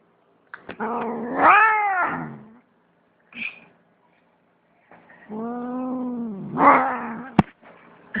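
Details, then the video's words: Domestic cat, shaking, with a fat tummy, lets out two long, low, drawn-out wailing yowls, each swelling then fading, separated by a short quiet pause with a brief faint squeak; a sharp click near the end. "Cat funny sounds"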